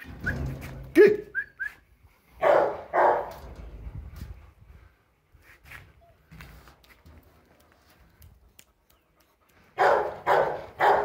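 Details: Kennel litter of Rottweiler puppies, two males and four females, 58 days old, on the morning of 28 August 2021. Loud short barks come in clusters of two or three near the start and again at the end, with brief whistles and a person calling names.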